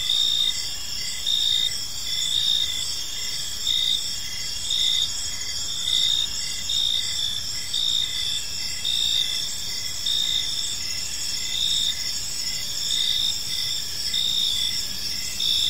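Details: Evening cricket chorus in a peaceful park: continuous shrill trilling with rhythmic pulsed chirps recurring roughly once a second, many insects calling together over faint low ambient rumble.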